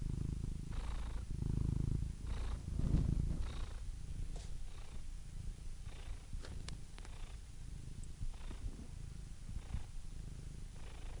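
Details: Cat purring, strongest in the first few seconds then softer and steadier, low buzzing rumble with faint breathy pulses and a few small clicks.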